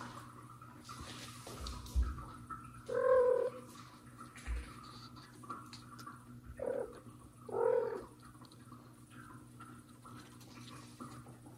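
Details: Mother cat, annoyed, trying to pull out her kitten Mosya that hid from her, gives short gentle meows, three mid-pitched calls with pauses between, while soft purring and faint rustling run underneath indoors.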